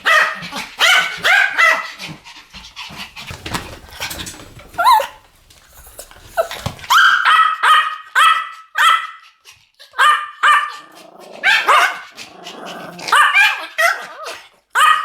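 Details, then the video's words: Pomeranian duet barking, long stretches of rapid high-pitched yapping, the barks overlapping and alternating, broken by a quieter pause midway before the rattling series resumes. "ポメラニアン Pomeranian デュエット吠え 1000回 犬の鳴き声"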